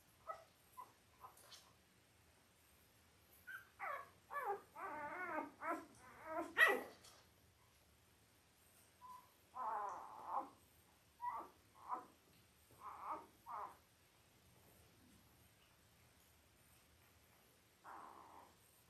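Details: Five-day-old Labrador Retriever puppies, Belle's litter of eight born October 15, 2023, on a live puppy cam: a burst of rising, harmonic squealing whines around the middle, then a series of shorter yelps and squeaks, with quiet gaps between them.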